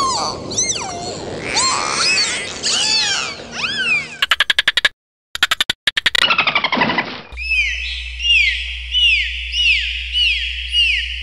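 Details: Dolphin. High, fluid whistles rise and fall in quick arcs, overlapping as several dolphins call at once. A burst of sharp, rapid clicks follows, then a steady series of descending whistles repeats about every second.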